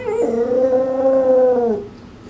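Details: Shih Tzu Maltese mix dog warbling in protest at something outside the backyard: one sustained, wavering harmonic howl-like note of about one and a half seconds, steady in pitch, then fading.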